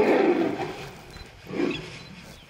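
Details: A tiger in the wild jungle, described as mating, gives two deep, rasping roars, the first long and heavy and fading away, the second shorter and swelling after a brief lull.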